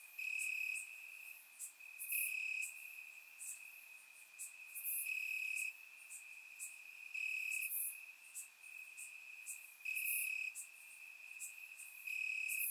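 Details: Crickets in grass at night during a warm Bulgarian summer, surround recording: a constant shrill trill broken into louder stretches every couple of seconds, accompanied by recurring sharp high chirps.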